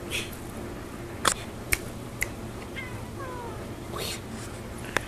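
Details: A Chinchilla Persian cat called Sushi gives soft, thin meows that slide downward in pitch while a person nearby calls her name.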